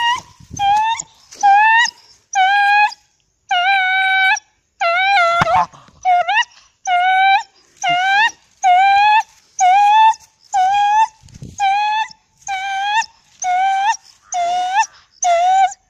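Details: Domestic dog producing a long run of about fifteen short, whining howl notes at a steady pace of roughly one per second, each slightly rising, with faint clicks between.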